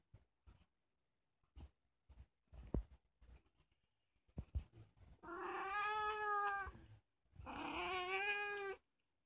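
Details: Ginger female house cat, roughly two, the household's youngest, playing with family at night indoors: scattered taps and knocks, then two long, loud, slightly falling meows about two seconds apart.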